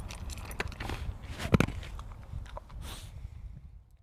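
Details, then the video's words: A pet dog named Mungchi eating its food, with irregular crackly bites and crunches clustered in the first two seconds, one sharp loud bite near the middle, then softer chewing that fades out. "강아지(뭉치) 먹방입니다~귀엽게봐주세요 dog mukbang"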